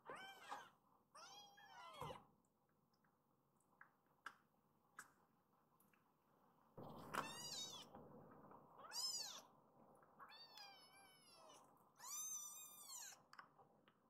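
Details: Rescued baby kittens in foster care, waking from a nap and seeking their mother cat: a run of short and drawn-out high meows, some rising then falling, about eight calls over fourteen seconds, with soft handling noises between them.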